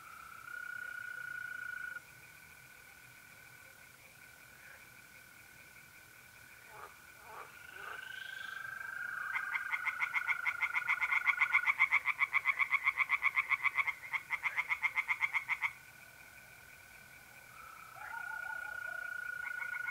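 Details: Tree frogs singing in a pond on an April night in north-eastern Italy: a dense run of rapid pulsed croaks mid-clip, over steady high trills of mole crickets that hold on both sides.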